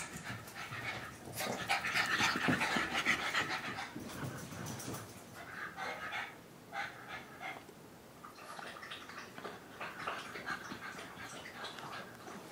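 Heavy, noisy breathing from French Bulldogs comes in fast, rasping bursts, roughly three or four per second. The huffing rises and falls as they run, with soft snorty edges between breaths.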